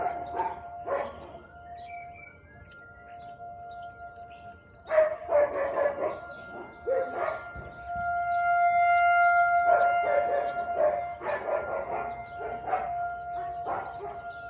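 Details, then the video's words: Siberian Husky barking on the afternoon of 13 March 2021 at 4:17 pm: scattered barks, a quiet lull, then renewed irregular volleys of loud, raspy barks over a persistent background hum. "Husky barking"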